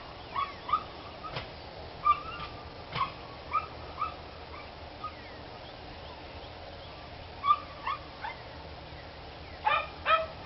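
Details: Dogs barking outdoors on 29 March 2013, short high yelping barks in scattered bursts, sometimes doubled, spread across ten seconds with quiet gaps and a steady background hiss.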